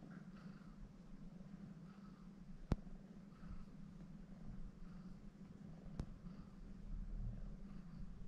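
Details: Indoor purring from a kneading female cat, once called Agnes, adopted from Neco Republic Hiroshima and born in Shimane: an even, low rumbling drone with two brief sharp taps, swelling slightly toward the end.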